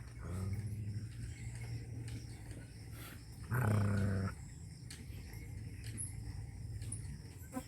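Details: Angry village dog in rural Punjab, Pakistan, giving one low, rough growl lasting under a second, set against steady background noise.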